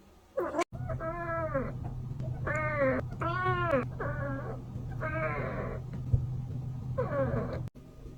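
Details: A kitten calls to draw in other cats with six wavering meows, several bending down at the end, repeated about once a second over a steady low electrical hum.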